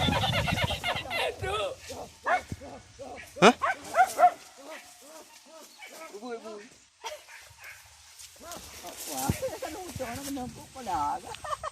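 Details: Village dogs out on a traditional wild boar hunt with dogs and spears give bursts of sharp, yelping barks in a loose volley, mixed with people talking and calling nearby in the open.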